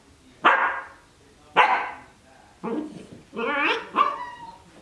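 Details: Young Cardigan Welsh Corgi, 12 weeks, romping in its dog bed: two loud, abrupt barks followed by three longer, more tonal, whiny yelps in quick succession.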